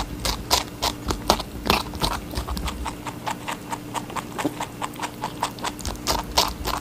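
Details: Watermelon being eaten by a rabbit: bright, crackling bites at an uneven pace, a few loud juicy crunches standing out, with a low background hum throughout.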